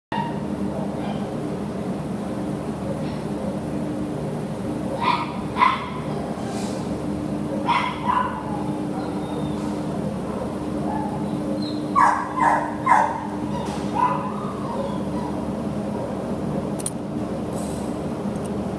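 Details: Terrier up for adoption through Petango.com, recorded 10 September 2015 in the morning: short sharp barks in scattered bursts, a pair near five seconds, others near eight and twelve to thirteen seconds, over a constant low mechanical hum.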